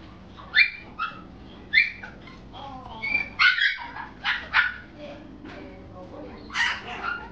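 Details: A brown female Chihuahua-poodle cross puppy gives a string of high, whiny yips and squeaky whimpers, irregular bursts roughly every half second to second, indoors with soft low background noise.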